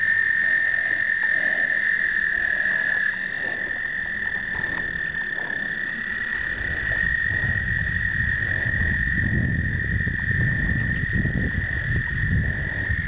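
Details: Breeding American toads, explosive breeding in 2009, filmed with a Canon point-and-shoot: continuous high trilling chorus, joined after about six seconds by heavy low rumbling noise beneath the steady drone.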